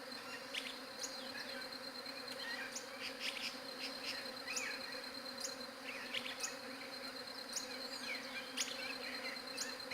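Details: Steady humming of bees, phone-recorded on a Galaxy J7 Prime 2, a level buzzing tone that never fades, accompanied by many brief high-pitched chirps and clicks popping up every second or so.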